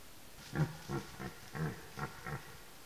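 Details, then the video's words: A forest red deer during the rut utters a quick string of six short, low, gruff grunts, roughly three per second, against a steady noisy background. "Rykowisko / Deer rut"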